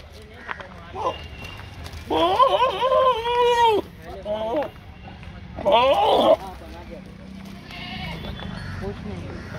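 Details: Goats on a farm bleating, two long wavering nasal bleats of about one and a half seconds and one shorter, with a faint call early on and people talking in the background.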